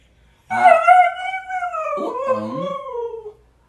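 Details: Pet Siberian Husky howling indoors: a loud howl that starts abruptly, breaks briefly around the middle, then resumes and slides gradually downward for about three seconds before stopping.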